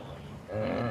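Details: During the annual rut, a wildebeest bull gives a deep, nasal, moaning groan. It is part of the excited bulls' chorus that brings the females into estrus at the same time.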